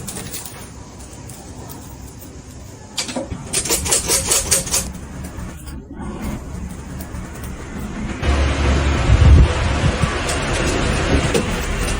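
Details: Engine-like rumble with bursts of broadband noise that grow louder after about three and eight seconds, and no animal voice.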